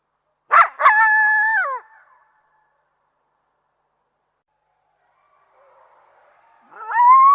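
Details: Coyotes: two sharp yips open into a steady, clear howl held for about a second that bends downward as it ends. After a long silence a new rising howl begins.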